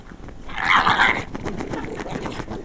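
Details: Indoor female pug protesting at the sound of the couch being scratched: one loud, rough, growling cry lasting under a second, then softer grumbling noises trailing off.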